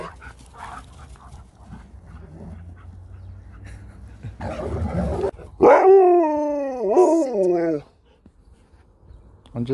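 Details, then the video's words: A Husky takes on a Malamute for a treat. Quiet murmuring and shuffling give way to a loud, sustained, harmonic woo-woo vocalization lasting about two seconds, wavering up and down before dropping off. "Husky takes on a Malamute for a treat"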